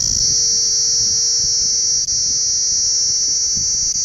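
A cicada sings a loud, steady, high-pitched buzz that drones on without a break.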